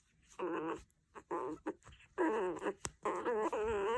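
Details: An angry Chihuahua gives four quavering, wavering growl-whines of about half a second each, separated by brief pauses and a few short clicks, indoors.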